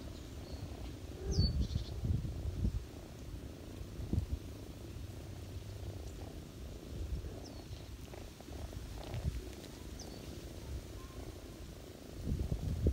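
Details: Purring from a ginger mother cat nursing her kittens on someone's lap in autumn: a continuous deep rumble with soft rustles and bumps, a few faint distant bird chirps above.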